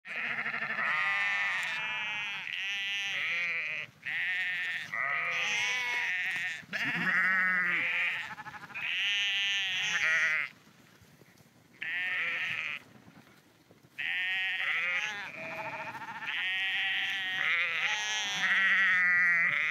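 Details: Sheep walking along the Porrenkoogdeich dike near Husum, Nordfriesland, bleating often: long wavering harmonic bleats, several overlapping callers, with short quiet gaps between bursts.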